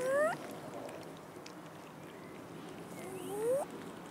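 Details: Abandoned cat in a city park begging for food: two clear rising meows, one at the start and one near the end, separated by quiet outdoor background hum.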